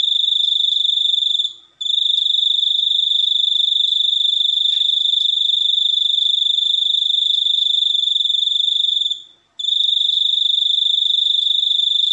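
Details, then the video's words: Shrill, steady cricket chirping in a long buzzing trill, with a short drop-out near the start and another around nine seconds before the high ringing resumes. "suara jangkrik super unik"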